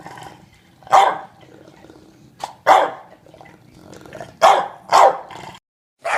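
An English Bulldog barks in rough, throaty bursts, some single and some in quick pairs, spaced unevenly over a few seconds. The barks sound gruff and a little odd, with quiet room noise between them.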